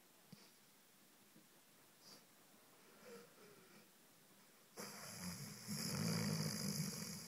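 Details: Sleeping Rhodesian Ridgeback snoring indoors; a near-silent start with faint snuffles, then from about five seconds a loud, rasping, rumbling snore that swells and holds steady to the end.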